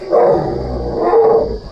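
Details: Frightened baby Asian elephant stuck in a hole, mother absent, being rescued by a group of men: two loud, short tonal squeals about a second apart, each with a clear pitched core and a harsh edge.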